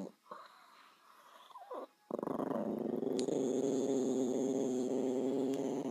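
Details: Dog named Bowie: soft noises and a short squeal first, then a sudden sustained growl, rough and throaty with quick even pulses, continuing to the end over a faint high whine.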